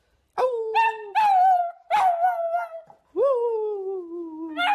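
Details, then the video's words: Puppies howling in short drawn-out tones, several sliding notes that start high and fall slowly, with a longer final howl descending in pitch; clean background. "CUTE PUPPIES HOWLING COMPILATION"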